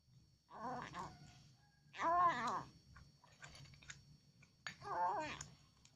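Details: Very hungry house cat being fed, meowing in a way compared to saying "Alhamdulillah": three separate meows spaced roughly two seconds apart, the middle one loudest and arched, with faint chewing-like clicks between and a low indoor hum.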